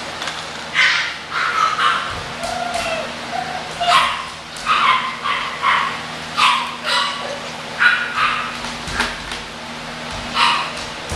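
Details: English Bulldog puppies at a kennel give a steady run of short, high, sharp yips, roughly one every second, over a low constant hum.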